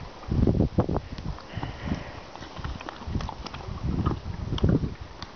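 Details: A horse eating licorice: loud, low, crunching chews in irregular bursts, strongest near the start and again toward the end, with soft rustling between.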